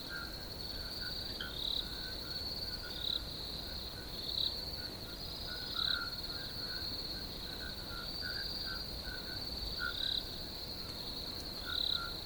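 Crickets keep up a steady, high-pitched chirping trill, with occasional harsh bird calls breaking through.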